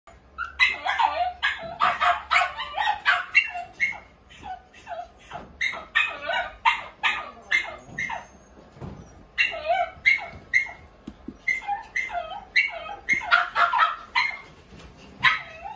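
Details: Toy Poodle barking in rapid, high yappy bursts, several sharp barks per second in runs broken by short pauses, with faint rustling underneath.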